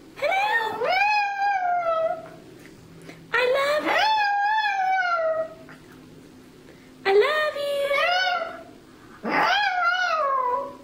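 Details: Singing Chihuahua Chuy, mascot of Irresistiblepets.net, gives four separate howled notes about every three seconds, each rising sharply, then holding and sinking gently, with quiet gaps between.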